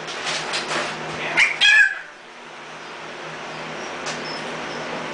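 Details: Puppies just short of three weeks old, eyes open and learning to stand, a mixed litter from a dachshund-hound-retriever mother named Ella; a few brief high squeaky whimpers early on, then steady room hum.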